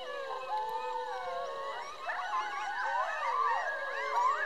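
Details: Coyote pack of roughly twelve animals in full chorus, steady wavering howls joined by rapid yips and quavering, warbling cries that weave over one another in a dense tangle of voices.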